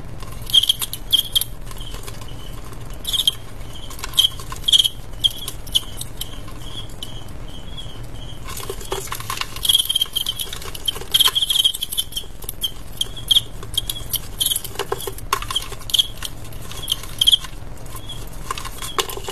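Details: Two male crickets fighting in an adu jangkrik match, irregular bright high chirps and short trilled bursts spread through the clip, layered over continuous scratchy rustling and tapping.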